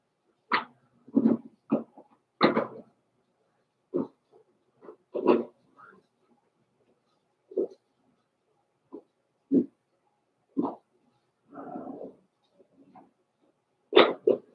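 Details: Blenheim Cavalier King Charles Spaniel puppies, including Roman and Blue, in an indoor pen near Christmas. A long irregular series of yips, whines and small barks, some loud and others faint, with quiet gaps.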